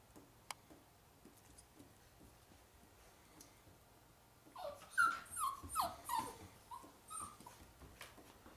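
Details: Holly, a sweet, attention-loving pet dog, playing indoors in a small room; after quiet ticking, a burst of high whimpering and whining yelps begins midway, several rising-falling cries in quick succession, then fading.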